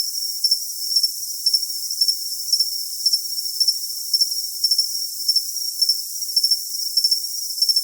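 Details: High-pitched cricket chirps for tinnitus masking, grouped in twos and threes and recurring at a steady pace of about two per second over an unbroken thin whine.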